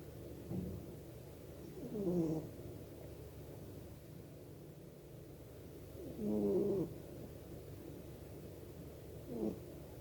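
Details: A dozing house cat snores softly, giving low rattling snorts about every four seconds, the last one weaker, against a quiet hissing room background.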